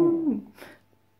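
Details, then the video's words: Westie named Gastone, a West Highland White Terrier, indoors copying Cristiano Ronaldo's famous "siuuu" celebration cheer; a loud sustained vocal tone that slides downward and fades within about a second, with faint background music. "West highland White terrier imita il siuuu di Cr7!"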